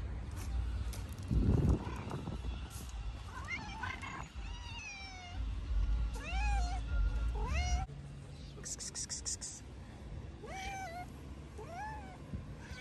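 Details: A very hungry stray tabby and ginger cat, the tabby trying to get into a purse. Heavy thumps and handling sounds at first, then a series of plaintive, rising-then-falling meows repeated every second or so.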